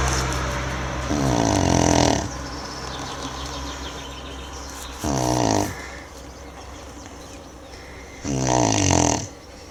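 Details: Manjurhi, a sleeping Tibetan Mastiff (do-khyi), snores in three separate rasping, harmonic-rich bursts about a second long, spaced roughly three to four seconds apart, with quiet breathing between them.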